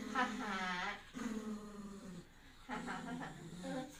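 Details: Pet poodle calling for its nanny for help, sounding like "Yaya": three drawn-out, tonal, whine-like howls of about a second each, separated by brief pauses, with a steady, slightly wavering pitch.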